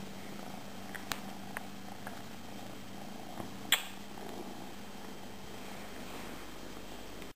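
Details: Domestic cat purring indoors, one of a pair named Tejko and Tigra; a soft, steady low rumble runs throughout with a few faint clicks and one sharp tap near the middle.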